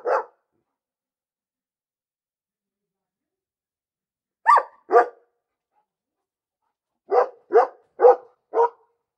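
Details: Barking dog: one bark, a long silence, then a pair of barks and finally four rapid, sharp barks in a row, clear and dry with nothing else audible.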